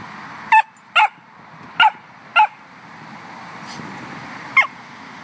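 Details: Little puppy barking: five brief, high yapping barks at uneven intervals over about four seconds, with a faint extra noise between them and a low steady hum behind.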